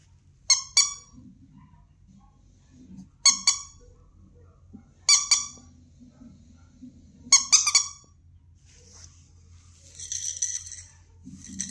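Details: Keeshond giving sharp, high-pitched squealing yelps in four short bursts about every two seconds, each a quick cluster of piercing notes, with faint low murmurs and a soft rustle between bursts indoors.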